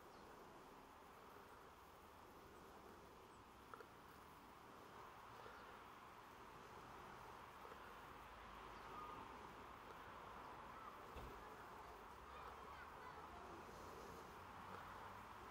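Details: Bees recorded on 28 September 2023, a steady, continuous mid-pitched buzzing drone of many wings that holds through the whole stretch with slight swells in loudness and no other distinct sounds.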